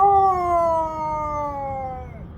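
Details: Siberian Husky kept as a pet, vocalising while its owner speaks about the day's weather, produces a long smooth howl over two seconds, clear stacked harmonics gradually falling, ending with a slight downward bend.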